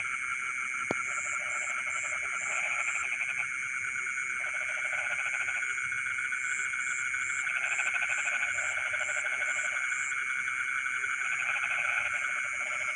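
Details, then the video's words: Nighttime frog chorus from rice fields: repeated rattling, pulsed croak bouts about a second long alternate with pauses, above a constant high shrill drone of insects; one sharp click near the start. "the sound of frogs singing in the rice fields in the middle of the night"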